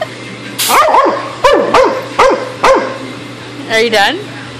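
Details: A dog agitated by an airgun hose, attacking it, barks about seven times in sharp bursts over four seconds, including a quick double bark near the end. A person repeatedly tells it to sit; a low hum runs underneath.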